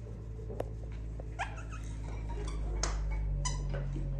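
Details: Female Dachshund puppy gives a few brief, high squeaky whimpers and chirps, scattered across a few seconds over a steady low hum and faint clicking noises indoors.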